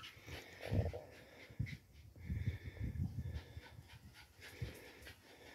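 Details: A Parson Russell Terrier on a visit to a new friend breathes heavily, with low, rough panting puffs clustered around the middle, separated by quieter pauses and light background rustle.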